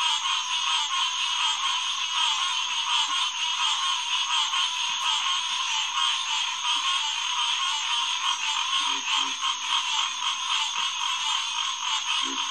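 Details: Chorus of green tree frogs, Hyla cinerea, at a boardwalk-accessible headquarters pond on a June night in 2021: many callers overlap into a steady, unbroken rattling mass, with a few brief low grunts near the end.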